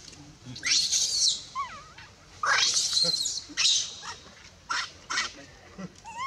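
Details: Baby monkey near Bayon crying as its mother pushes it away and refuses it milk; harsh broadband screams alternate with shorter rising squeals, with quieter gaps between outbursts.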